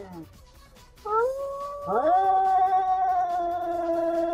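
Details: Domestic cats in a vocal fight: a sustained, tonal, slightly wavering yowl rising then holding steady, over a noisy background.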